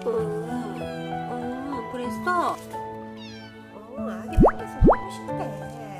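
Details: A domestic cat, a first-time mother who was anxious and carried her kitten to safety, gives short, sharply rising meows over background music and a woman's voice.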